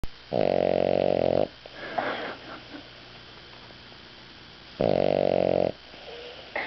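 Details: Frank the dog snoring indoors while asleep after pigging out on food: two loud, buzzy, harmonic snores, each about a second long, roughly four seconds apart, with faint rustling and quiet breaths between them.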